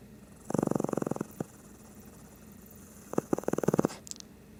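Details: Snoring Shih Tzu asleep, giving two bouts of rapid fluttering, rattling pulses, each lasting under a second, separated by a pause, with a soft click near the end.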